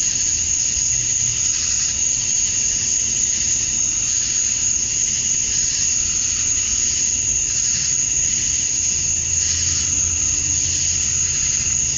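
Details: At dusk on a summer evening in Georgia, USA, male cicadas sing to attract females: a constant shrill buzzing wall of sound with a thin steady high tone and gentle waves of swelling intensity.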